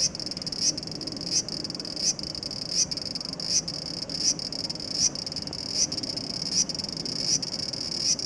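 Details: Sizzling high buzz from a large brown cicada resting on a home window screen, 2 August 2012, swelling into a louder pulse roughly every three-quarters of a second in a steady rhythm.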